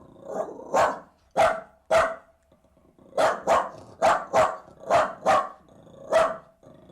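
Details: Jack Russell terrier leaping and bounding with playful energy, giving short, sharp barks in uneven bursts, about ten over seven seconds, with a quiet lull near the middle.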